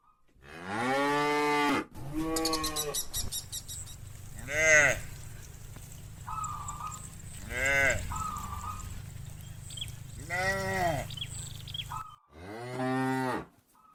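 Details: Cattle herd walking to the farm pen in the afternoon in a rural area; repeated rich harmonic moos from several cows, some long and arched, others shorter, about every three seconds over a steady low rumble.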